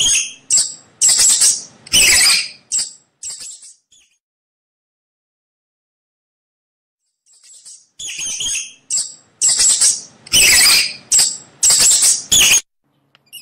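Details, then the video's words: Mouse giving rapid, shrill squeaks in short bursts, some harsh and clipped, a few thinner and whistled. Squeaking clusters fill the first four seconds, then silence until about seven seconds, when denser, louder squeaks return. "Tiếng kêu con chuột"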